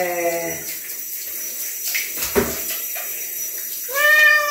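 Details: Chino, a bobtail pet cat, is washed. A meow fades out at the start. Quiet bath noises and a short clatter follow, then a fresh steady meow rises at the end.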